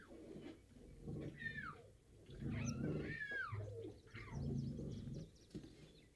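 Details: A caged lion gives deep, rumbling growls and roars mixed with harsh, whining snarls.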